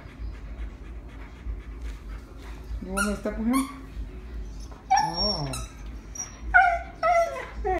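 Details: Husky crying inside a room, objecting to the deer being squeezed: after a quiet start, a string of sharp yelping whines and wavering, falling cries, some clipped and high, over faint room noise.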